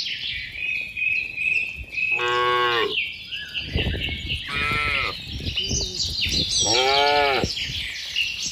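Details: Cattle in a tame herd with calves, running back to their farm pen in the rainy season: three separate arching moos about two seconds apart over a steady bed of bird chirps.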